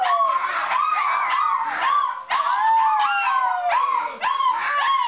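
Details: Alaskan Malamutes in a kitchen at 11:45 pm give a chorus of wavering, yodelling howls and woo-woo vocalisations.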